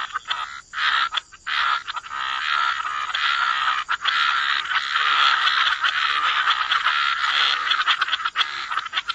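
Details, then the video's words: Croaking frogs at a waterside wetland, a few distinct rasping calls at the start, then a continuous, loud chorus of overlapping grating croaks that hardly pauses, with a thin steady tone high above. "Frog Lullaby: Relax to the Sound of Croaking Frogs"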